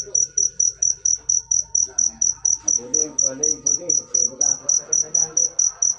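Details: Cricket sound: high, clean whistle-like chirps in a steady rhythm of about three per second, loud and dominant, with faint indistinct talking and room noise low beneath.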